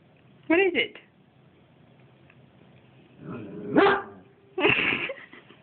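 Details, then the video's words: Two-year-old Siberian Husky indoors barking at its owner's reflection in the back door, mistaking her for a bad guy. Three bursts of hoarse, wavering, yodel-like barks, the middle one loudest. A woman talks and laughs between them. "My dog barking at my reflection in the door!"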